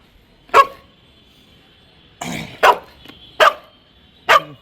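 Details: Labrador Retriever barking at home while playing with a toothpaste box, seemingly asking to play: four sharp, loud single barks spaced about a second apart, with a brief rustle of cardboard between the first two.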